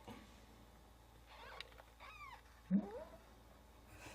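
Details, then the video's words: Three soft, high mews from newborn kittens whose mother is away, each a brief arching squeal, the last followed by a low thump, in a hushed indoor setting. "Newborn kittens cry when mom is away"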